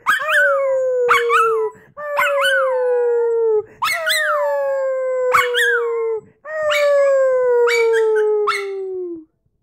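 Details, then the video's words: Howling Jackawawa dog: five long, gently falling howls of about one and a half to two and a half seconds, each opening with a wavering yip and separated by short pauses. "Jackawawa howling"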